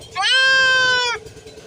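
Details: Goat kid held for castration lets out a single strained, rising then level bleat of about one second, harsh and harmonic-rich, with a faint low pulsing hum underneath.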